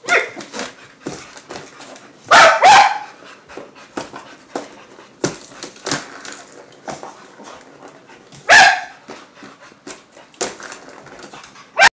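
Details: A pair of dogs at play over a cat toy: two loud, abrupt barks roughly six seconds apart, with faint scuffling, small yips and whimpers between them.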